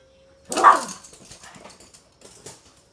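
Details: Toy Poodle playing with a stuffed toy in the morning: a single loud, high bark with a falling tail, then soft taps and movement noises, and a faint steady tone in the background.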